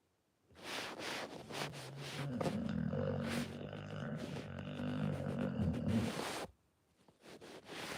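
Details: Pit Bull snoring: one long rasping, low rumbling breath of about six seconds, with softer snuffling breaths before and after it.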